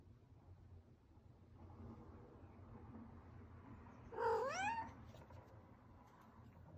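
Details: Indoor domestic cat that made a hole in a window gives a single rising-then-falling meow, about half a second long, after several seconds of quiet low room hum.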